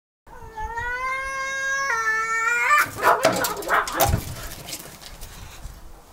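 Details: Tomcats fighting: a long, steady, strongly harmonic yowl held for over two seconds with a small upward step near the end, then breaking into loud harsh spitting and scuffling bursts that fade into quieter rustling.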